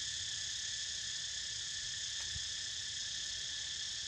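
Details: Continuous cicada chorus heard as a pet snoozes, a dense shrill hiss holding level throughout, with one soft low thump partway through.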